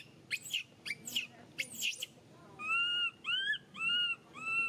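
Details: Young monkey Mila, still dependent on milk while mother Malika weans her, crying: a few sharp squeaky chirps first, then four evenly spaced high whistled wails, each gently rising then falling.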